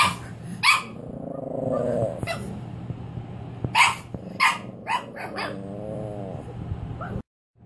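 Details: A Cavalier King Charles Spaniel puppy on her first night home, being introduced to a crate, whimpers in long, wavering whines broken by sharp yips.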